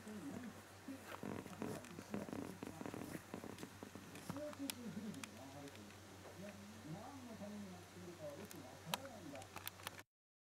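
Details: Nighttime crying of Kutsu, a young Shiba Inu puppy that cries every one and a half to two hours after lights-out; rustling and clicks first, then a run of thin, curved whining yelps rising and falling in pitch.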